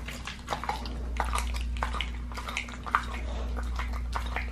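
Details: Pit bull fed raw, working on a leg of lamb: clustered wet tearing and gnawing bursts, slurpy and brighter in tone, with a low hum behind.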